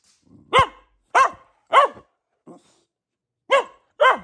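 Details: Luna the Boxer, a female pet dog, lets out five loud arched barks, three in quick succession then two more after a short gap, with a soft grunt between.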